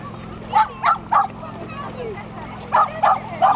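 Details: Tricolor Shetland Sheepdog on a dog beach near Nijkerk, Netherlands, on 3 August 2011: two quick runs of three sharp, mid-pitched barks, evenly spaced, with Dutch speech nearby.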